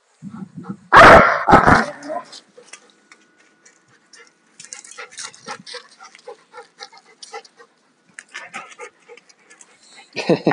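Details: Alaskan Malamutes at rough play, a 2-year-old male with a 4.5-year-old female, not in heat and fully shed. A loud harsh bark-growl erupts near the start, then quieter scuffles, panting and clicks, and another loud outburst at the end.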